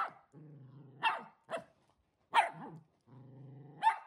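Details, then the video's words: Shetland Sheepdog, one year old and easily frightened, squaring up to a delivered mattress at home: low steady growls broken by sudden sharp barks, growl and bark trading back and forth. "【シェルティー】 VS マットレス"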